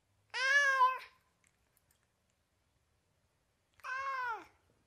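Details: Meows of a domestic cat from California: two separate clear, harmonic calls, the first longer and louder, the second falling in pitch, with a long quiet gap between.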